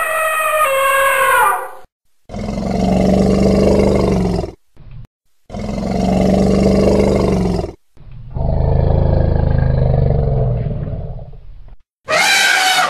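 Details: Elephant calls in a spliced sequence: a bright trumpet, then three long deep roaring rumbles of two to four seconds each with gaps between, closing on a sharp high trumpet blast.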